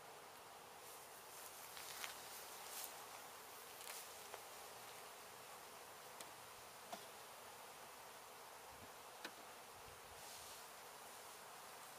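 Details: Honey bees of a house window hive in Edinburg, Texas, during removal; a brighter, hissy swarm buzz fills the recording, with occasional faint ticks and a low thump toward the end.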